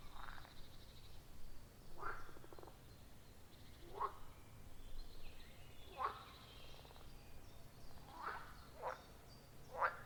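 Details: Frogs calling from a quiet forest pond, recorded in real time with a phone and external microphone: rhythmic short croaks roughly every two seconds, a few doubled, above soft continuous background noise.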